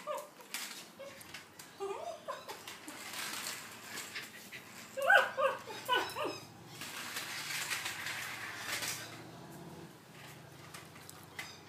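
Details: Hamish, a Shetland Sheepdog, playing with a toy truck indoors and filmed on an iPhone 4s, gives short high whimpering yelps in scattered bursts, loudest in a cluster near the middle, over a faint room hum.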